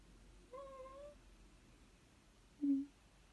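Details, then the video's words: Black miniature dachshund crying to get its owner up in the morning: a faint drawn-out whine of about half a second, then a short louder lower yelp-like squeak after a pause. "My black mini dachshund is a whiny alarm clock"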